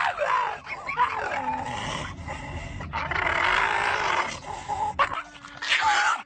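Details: A pet dog making funny vocal sounds: a rough, drawn-out run of growly, yipping noises that rise and fall over several seconds, with brief pauses and human voices underneath.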